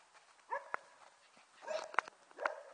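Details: Border Collie puppies about six weeks old, a litter playing together in early January, giving a few short high yelps and whimpers with sharp clicks, quiet gaps between them.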